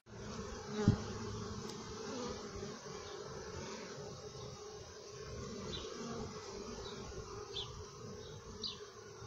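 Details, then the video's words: Honey bees inside the hive: a dense, steady, low droning hum of many wings that holds evenly throughout, with a single sharp tap near the start and faint, brief high chirps later on. "Honey Bees in the hive"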